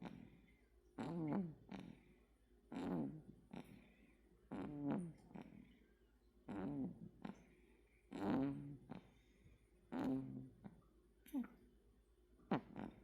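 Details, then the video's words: Asleep indoors, Bami the male American Shorthair cat gives softer, rhythmic snores, each a brief wavering nasal tone trailed by a quick raspy exhale, recurring about every two seconds in a quiet room. "볼륨업! 고양이 코골이!(밤이)"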